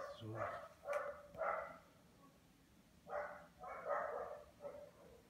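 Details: A lazy Lhasa Apso gives a series of short, nasal, whining grumbles in two loose groups.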